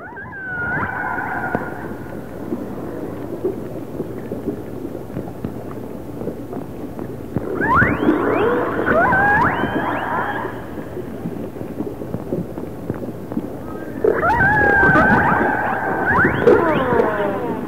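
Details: Humpback whale heard in the background during killer whale research off the north coast of British Columbia. Moaning, sweeping tonal calls rise and fall in three bouts, with steady low water and vessel rumble.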